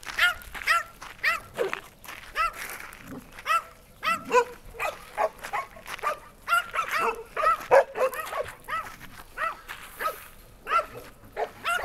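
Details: Shelter dog barking steadily, with high, ringing, yelpy barks repeated roughly twice a second throughout and a few softer whines between them.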